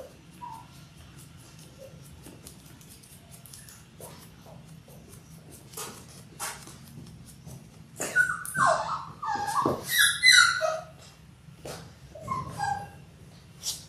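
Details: Indoor litter of six Labrador Retriever puppies in their sixth week: quiet shuffling and rustling, then a burst of several high whining yelps and squeals in quick succession, fading back to rustling.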